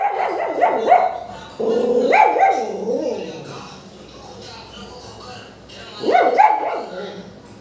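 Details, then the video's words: Pomeranian puppies barking for no apparent reason, several sharp high yappy barks in quick bursts near the start, a longer whining bark run around two seconds, then another burst of yaps near the end, with human speech in the background. "Pomeranian puppies starting barking without any reason"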